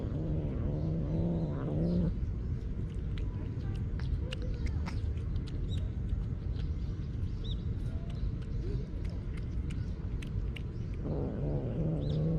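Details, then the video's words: Stray cat guarding its food from being taken, giving low harmonic grumbling growls around two seconds long at the start and again near the end, over steady low background rumble with faint clicks. "밥 뺏기지 않으려는 길고양이의 꿍얼꿍얼 귀여운소리다옹"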